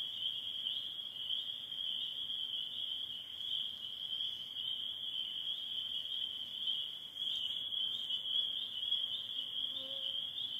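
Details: At dusk in spring in northern Michigan, near the end of the peeper season, a dense chorus of Spring Peepers blends into a steady, high, shrill ringing without a break, over a faint low sound and soft background noise.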